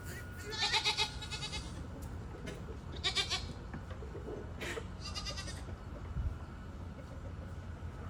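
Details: Nigerian Dwarf goats at feeding time, envious of extra breakfast given to an old buck; short wavering bleats in three bursts, near 1, 3 and 5 seconds, over steady low background hum and faint rustling.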